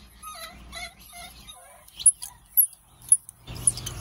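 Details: Two baby monkeys crying at an animal market: a series of short, wavering, mid-pitched wails, then a few sharp very high squeaks, ending in a burst of rustling noise.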